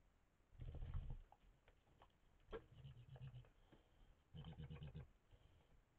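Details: Badgers at a water fountain at night, caught on a camera trap in Valles del Cerrato, Spain, in September 2022, give an unusual grunt: low, rough grunts in three bursts of quick pulses, with soft patter and rustling.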